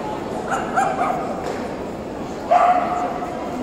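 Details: Tibetan Terrier at the 2018 Euro Dog Show: a couple of short yapping barks near the start, then one louder, slightly drawn-out bark, all against constant murmuring voices of a show-hall crowd.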